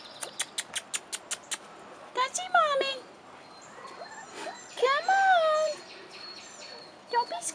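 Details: Rottweiler pups aged 4.5 weeks, outside for the first time: rapid clicking, then two bursts of high, bending whines several seconds apart, amid a person's encouraging voice.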